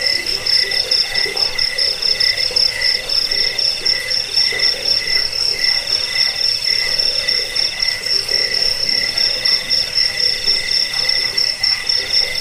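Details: Crickets trilling together in a rat-repelling bedtime recording: a high, metallic ringing tone with quick regular pulses, a second lower pulsing trill beneath it, and a steady, unbroken intensity.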